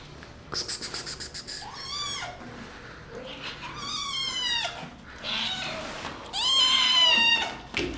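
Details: Several high, wavering kitten meows follow one another, each bending upward then down, while playful kittens attack the person filming; a burst of rapid clicking or scratching pulses opens the recording.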